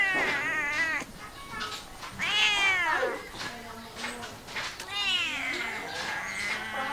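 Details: Domestic cat uttering three long, wavering, strained meows that bend up and down in pitch, close to a caterwaul, with brief breaks between them and a rough, noisy background.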